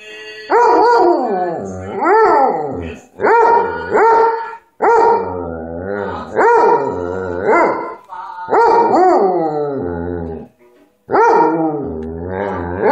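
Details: Hobbes, a pet dog, howling along to Hank Williams music: five long, wavering, rising-and-falling howls with rich harmonics, each lasting one to two seconds and separated by short breaths.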